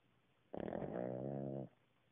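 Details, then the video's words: A napping Cavalier King Charles Spaniel snores, as usual. One low, rattling snore starts with a few quick fluttering pulses, then settles into a steady buzzing drone for about a second before stopping sharply, with quiet before and after. "Cavalier King Charles Snores"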